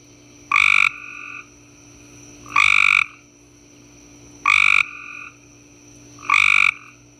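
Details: Cope's gray tree frog chorus from a summer backyard, several frogs present: four loud, rasping trills of under half a second each, spaced about two seconds apart, answered by fainter trilling neighbours, over a constant high-pitched background tone.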